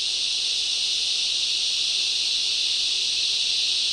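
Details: Summer rainforest cicadas calling in loud waves; an intense, even, high-pitched drone fills every moment without a break.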